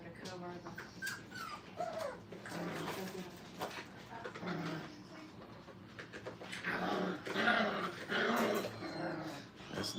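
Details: Playing Brittany puppies, five weeks old, in a training kennel, giving rough little growls, grumbles and brief whimpers in a busy jumble, with people talking in the background.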